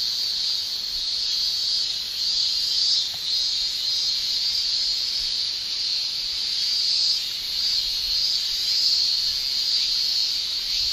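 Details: Summer cicadas in Japan, males producing their tymbal song: a loud, hissing high chorus with small dips and surges, steady overall and without breaks.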